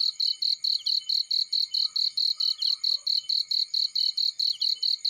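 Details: Cricket in a field repeating crisp, high-pitched chirps about three times a second, each burst short and buzzy, the rhythm steady over the whole stretch, with faint traces of other insects.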